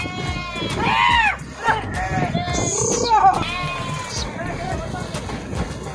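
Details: Sheep jumping into a river and swimming, loud quavering bleats with rich harmonics, one strong call near the start and more a second later, over steady water noise and some splashing.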